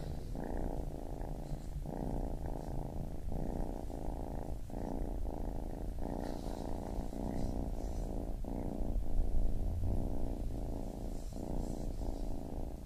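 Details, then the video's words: Kitten purring steadily in a low rumble, with breath-paced pulses swelling and pausing roughly every second, continuous and calm; faint soft clicks above. "Baby Kitten Purring"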